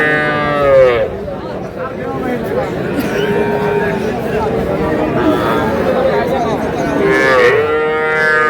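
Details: Young bulls and heifer calves at a cattle market in Madaripur, Bangladesh, on 17 February 2026; a drawn-out harmonic moo opens and another rises near the end, under steady crowd chatter and men talking.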